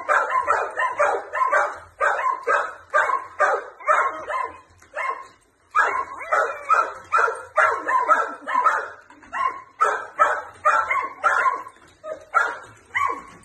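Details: Playful barking from a four-year-old male Jack Russell Terrier x Plott hound mix at a flirt pole, with another dog joining in; steady run of sharp, mid-pitched barks roughly twice a second with a brief break midway.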